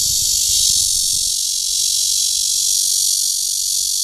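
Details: A continuous loud high buzz from a courting red-veined cicada in Guangming Park, Zhongli, with a brief low rumble of background noise at the start.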